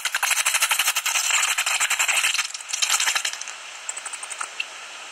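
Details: Common noctules at their roost in a tree hollow near Ibbenbüren, Germany, on 17 August 2019, fifteen minutes before sunrise; dense, rapid, rattling clicks for about three seconds, then thinning to sparse separate ticks.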